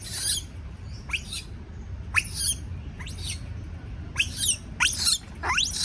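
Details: Frightened baby monkey crying out when left alone: a series of about seven sharp, high, rising screeches, roughly one per second, over steady low background noise.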